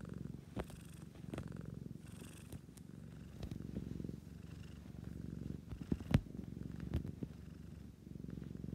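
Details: Relaxed pet cat giving a strong, even purr, a thick low vibration that rises and falls with each breath, with occasional sharp ticks and soft fur rustles.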